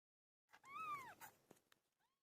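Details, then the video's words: A single strained, arching meow from Pilo, a cat in the middle of giving birth, followed by faint rustling and a weak trailing cry. "My favorite cat "PILO" gave birth"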